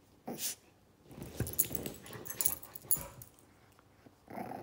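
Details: Zou Zou, a 9-week-old Shih Tzu puppy, wrestles with Lola, her pit bull friend, indoors. Short scattered growls and scuffling bursts are broken by quiet gaps.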